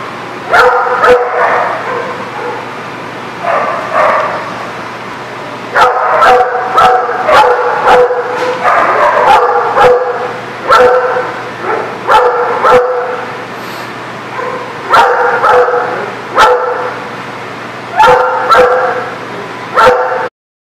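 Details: Dog barking, recorded on 29 June 2019: loud, harmonic barks in quick bursts of two to five, repeated throughout with brief pauses, over a steady low hum.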